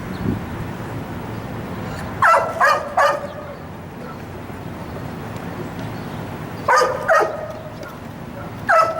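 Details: Dog named Sirius, a wildlife detection dog candidate under evaluation, held at a fence; short barks in two bursts of three, separated by a pause, over low background rumble.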